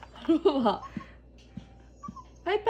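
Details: A puppy whines while begging for chicken as a treat: a few short, high, tonal whimpers with wavering harmonics in the opening second, then quiet clicks, and a further whimper at the end.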